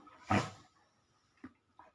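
A German Shepherd puppy gives one sharp, harsh bark, followed by two faint, brief yips.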